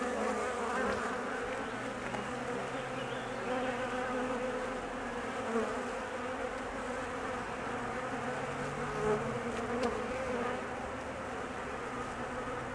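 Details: Anxious honey bees at the hive during the queen's mating flight, the colony waiting for her return; continuous low droning buzz of many bees, even in level, with a brief low tone near the start and later.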